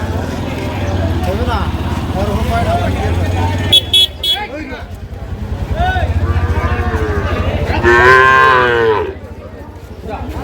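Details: Sahiwal bull calves for sale at a Monday cattle market in Dinajpur district, Bangladesh, March 2025; one loud drawn-out moo near the end stands out over a steady engine hum, with men bargaining over prices.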